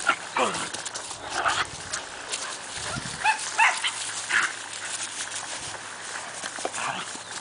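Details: Two Siberian Husky puppies, Cassia and Disco, four months old, romp at a kennel, letting out scattered squeaky yips and short whines between bumps and scuffles, with a low thud partway through.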